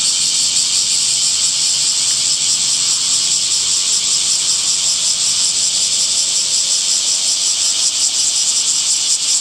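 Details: A steady wall of high, sizzling cicada buzz on a summer day, constant in level and texture with only slight flickers, no other clear sounds.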